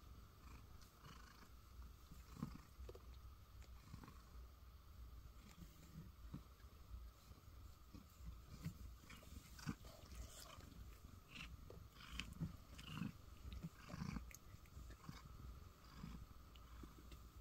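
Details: Cat in a basket within a soundproof booth keeps up a low, continuous purring rumble, quiet and steady, with scattered small taps and rustles from shifting in the basket.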